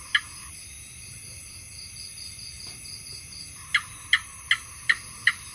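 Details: House gecko calling: one crisp chirp, a quiet gap of over three seconds, then five evenly spaced clicking chirps, with a steady high background tone throughout.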